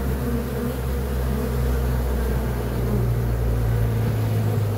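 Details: Honey bees buzzing as a steady low drone with a constant hum, no clear pauses, dense and continuous throughout.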